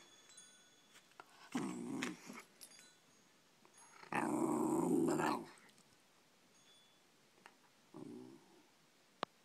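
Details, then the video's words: Pet Shiba Inu indoors grumbling in displeasure at how much its owner works: short low rumbling growls, one longer burst lasting over a second, with quiet gaps between. "Grumbly Buttons"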